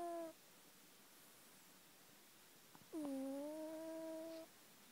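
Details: A sleeping house cat snores indoors, each breath giving a smooth, humming whine that dips then levels off for about one and a half seconds, the tail of an earlier breath audible three seconds before.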